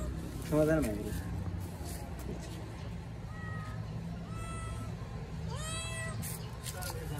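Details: A hungry kitten asks for food with a string of thin, high meows: a short wavering cry, then several flat drawn-out calls and a final rising one, spread over seven seconds beneath a constant low background hum.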